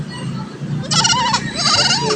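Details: Young goat being helped by a woman in the countryside gives two high, wavering bleats, each about half a second long, with a rising then falling pitch, over a steady low rural background hum.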